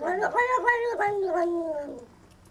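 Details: A cat's 'talking' meow: one long, wavering call of about two seconds with a quick chirpy break near the start, sliding gently downward as it fades out; no other clear sounds.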